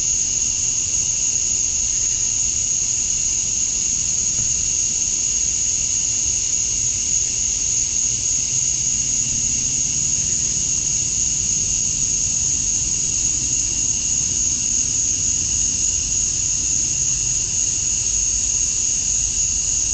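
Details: Georgia, USA, on a summer evening at dusk, male cicadas calling to attract females: a constant, sizzling high-pitched wall of sound with an even lower band, unchanging for the whole stretch, over a faint deep hum.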